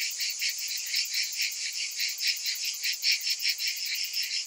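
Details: Many cicadas calling together in summer: a dense, high, hissing buzz that swells and fades in steady pulses, roughly two to three per second, with no other sounds.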